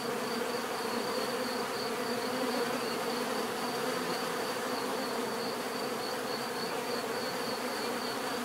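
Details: Uniform swarm-like buzzing from many bees continues without pause, a rich low hum with a soft shimmering texture and a thin steady high tone overhead.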